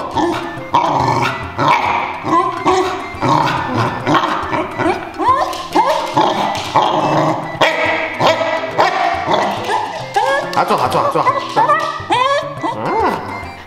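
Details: Domestic corgi keeps up a long stream of moaning, sliding grumbles and short yelps, said to sound like scolding its owner. It wants its peanut toy while told to sit, and the owner's voice and talk mix in throughout.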